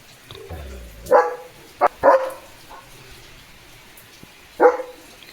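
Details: German Shepherd named Leo barking on a rainy morning while being told not to get wet: four short, forceful barks, two close together, the last after a pause, over a steady low background hiss.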